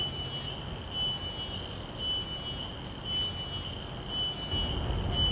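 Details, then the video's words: Common cicada recorded outdoors with shotgun microphones, giving a continuous high-pitched ringing tone with overtones, pulsing in strength about once a second against low background noise. "Calls of a Common Cicada"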